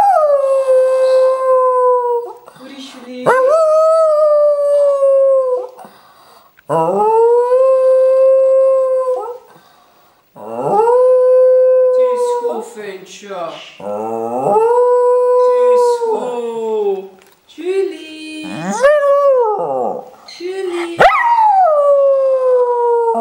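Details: Jack Russell Terrier named Bruce howling indoors, a habit he starts when asked in Dutch "waar is julie" to call Julie; long sustained wavering howls rising then holding steady, repeated in about six drawn-out bouts with brief pauses between them.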